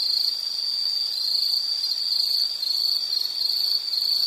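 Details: Insect trilling as soothing nature ambience: a loud, shrill, continuous high buzz held at a steady pitch, with faint higher overtones and no other clear sounds.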